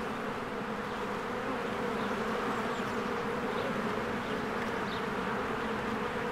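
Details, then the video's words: Honeybees busy at their hive in spring, flowers blooming nearby; a constant dense buzzing drone, level and steady, with a couple of faint, brief high chirps over it. "1 Hour of a Beehive ASMR"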